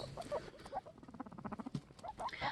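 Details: A male guinea pig makes quick, warbling, staticky chirps and squeaks, like a radio being tuned, while courting nearby females.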